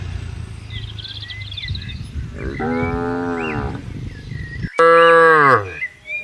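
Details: Cattle under herding in a grassy field: a moderate drawn-out moo followed by a sudden loud, harsh bellow, with birds twittering faintly behind.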